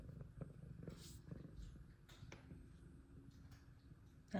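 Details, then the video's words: Extremely loud purr of an F2 Savannah cat, a dense continuous low rumble with a fast fluttering texture, steady throughout, with a few faint clicks and rustles over it. "Extremely Loud Purrs From Sweet F2 Savannah Cat"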